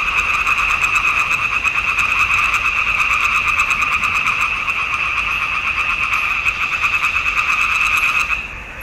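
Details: Frogs singing in a swamp pond in June 2021, recorded with a Nikon D780: a dense, steady chorus of rapid rasping croaks in two bright bands, pulsing continuously, then dropping off abruptly near the end.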